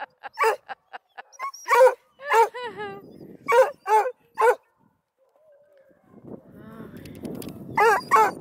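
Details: Registered purebred coonhound pups, Blueticks, Redbones and Black and tans, from a hound breeder near Kingston, Ontario, Canada, giving sharp repeated barks with short yelps and whines, a person talking quietly between them.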